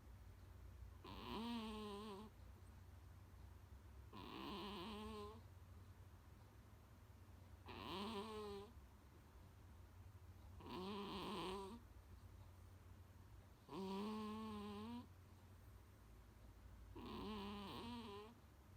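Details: Munchkin cat named Kuu-chan snoring loudly like an old man indoors, loud enough to sometimes wake its owner; six harsh, buzzy snores with wavering harmonics, each lasting about a second and recurring roughly every three seconds over a steady low hum.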